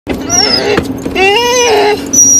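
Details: Dogs riding in a car on the way to the park, one named Saxby: loud, drawn-out high whines that rise and waver, with a brief break and then another sustained whine inside the vehicle.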